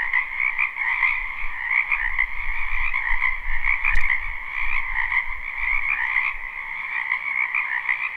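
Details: Live spring recording from a wetland behind a house, where a steady mass of frogs trills in overlapping layers while low rumbling swells beneath and a sharp knock sounds about halfway through.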